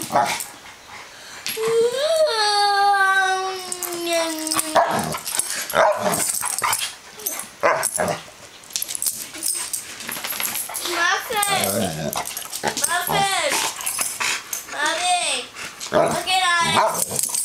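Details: Playing together inside are Onyx, an older female Black Labrador/Cocker Spaniel mix, and Nathan, a one-year-old male miniature dachshund, who grabs her tail. A drawn-out falling whine opens, then short wavering yips and scuffling, with a person's voice.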